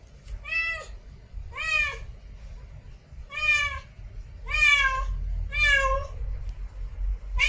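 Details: A female cat in heat meows repeatedly to attract a mate, about one loud, harmonic, slightly rising-falling call per second, five in a row, with low background rumble.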